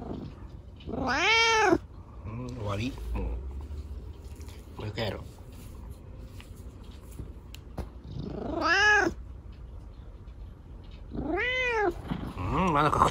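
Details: Chico, a rescued kitten left lame by an accident, enjoying a scratch from dad at bedtime: several drawn-out, arching meows that rise then fall, spaced a few seconds apart, with soft speech and low room hum between.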